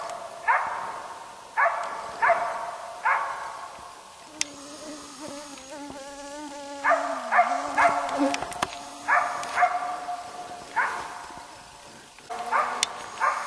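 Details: East Siberian Laika on a moose hunt in Finland, barking at the moose: sharp barks repeated about every second, with a steady low hum and a brief wavering tone in the middle.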